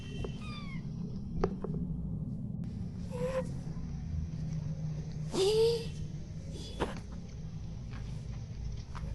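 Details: A naughty pet cat indoors gives a clear, rising then falling meow midway through, with a few fainter short mews before it, over a steady low room hum and brief clicks and rustles.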